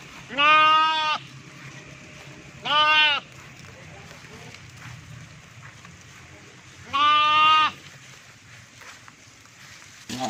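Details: Young lamb looking for its mom in northern Pakistan gives three loud, quavering baa calls, each under a second, spaced two to four seconds apart over a quiet background with light rustling.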